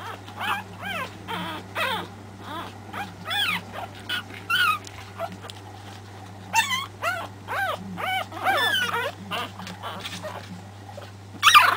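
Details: Pekingese puppies from a three-week-old litter give many short, high, wavering whimpers and yips, overlapping squeaky cries repeated throughout, with a steady low hum underneath.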